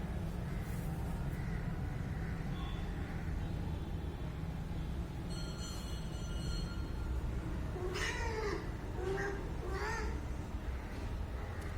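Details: A pet cat at home, playing and being groomed, gives two short meows late in the recording, each a wavering cry that rises then falls, over a steady low rumbling background and faint high tonal hum.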